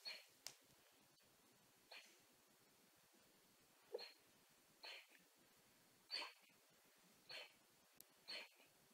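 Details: Six-month-old female golden retriever puppy making funny noises in her sleep: soft, short, breathy squeaks and snuffles about every second or so, in a quiet indoor room.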